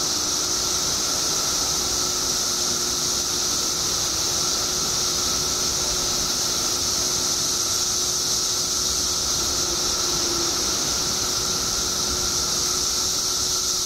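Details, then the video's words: Periodical cicadas in a mass emergence after 17 years underground in Illinois, billions of insects making a steady, unbroken high-pitched shrill drone with a second thin band lower down, constant loudness throughout, no other clear sounds. "Billions of Periodical Cicadas Emerge After 17 Years Underground Cicadas Making Noise Illinois State"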